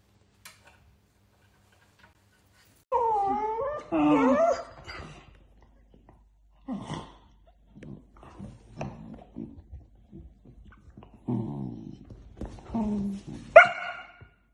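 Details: Dachshund, a sausage dog kept as a pet, gives wavering, whining vocalizations in bursts after three seconds of quiet. Shorter grumbles and yips follow, ending in a sharp high cry.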